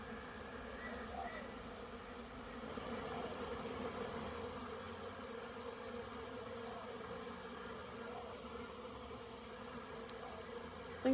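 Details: Honey bees in large numbers flying in and out of a busy hive on orientation flights, many coming back with pollen, September 2022; a steady, layered buzzing hum throughout, swelling slightly midway, ending with a sharp knock.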